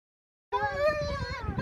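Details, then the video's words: Siberian Husky, one of two dogs met after a farewell event at Mosaic Stadium, Regina, giving a lonesome, sad howl: a sustained, wavering tone with rich harmonics that rises slightly then holds steady for about a second. "Huskies Howling"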